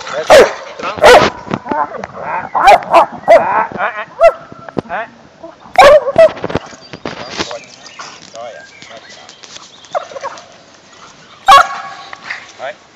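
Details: Working dog at a training session, 17 May 2012, Ascension Day: a rapid cluster of harsh barks in the first seconds, then sparser barks and clattering noise, with one last loud bark near the end and a man's voice.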